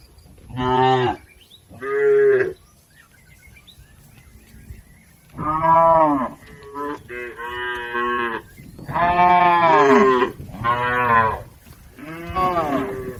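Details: Tame cattle, a healthy village herd grazing in a green field, giving repeated harmonic moos of about half a second to a second each, several overlapping callers, some rising then falling, with faint bird chirps between.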